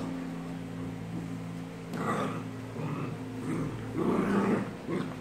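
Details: During a fight with a German shepherd and a Maltese, an American bulldog gives low, throaty growls that swell in short waves and grow louder toward the end, with a continuous background hum.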